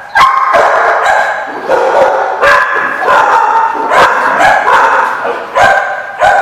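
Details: Dogs barking at a kennel, loud repeated sharp barks and yips about every half second from several animals, overlapping in a reverberant space.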